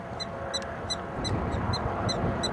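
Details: Prairie dogs in a small prairie dog town in eastern Montana, August 21, 2007: short, sharp, high chirping barks repeated about every third of a second over steady low wind-like rumble.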